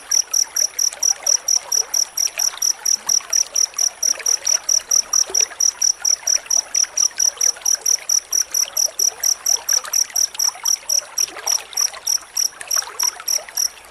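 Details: Crickets in a dense, close-spaced chorus used as training sound for white-rumped shama: high, steady chirps repeated rapidly and evenly throughout, with a faint trickling background.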